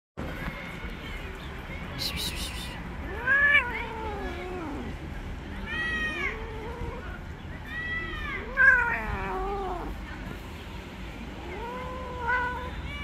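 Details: Angry female tabby street cat, upset after being touched, then biting a hand: a series of drawn-out, wavering low yowls, rising then falling, about five over thirteen seconds, with a brief rustling burst early on and faint street background.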